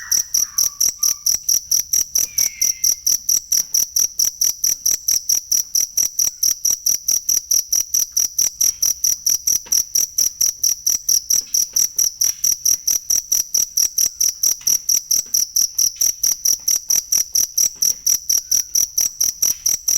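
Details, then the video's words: Cricket recorded for masteran of songbirds: a long, unbroken run of shrill chirps about twice per second, with only a couple of faint whistled notes near the start. "ASLI SUARA JANGKRIK BUAT MASTERAN BURUNG"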